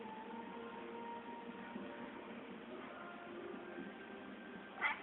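A domestic cat gives drawn-out, wavering, tonal calls, likened to a dog's bark.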